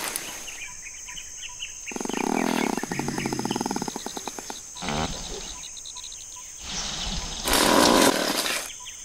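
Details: A wild mountain gorilla, which eats about 20 kilos of vegetation a day and lives in near-constant flatulence, breaks wind in a long, rasping, rapidly pulsed burst followed by shorter blasts.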